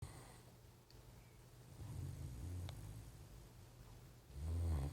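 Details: Great Dane asleep on a couch, snoring indoors: a quiet deep rumbling breath through most of the stretch, swelling in the middle, then one loud, heavy, low snore near the end.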